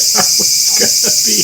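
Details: In a Japanese garden in southern Japan during high summer cicada season, with lingering rain after the monsoon, a cicada gives a loud, steady, high-pitched buzz close by while a man talks over it.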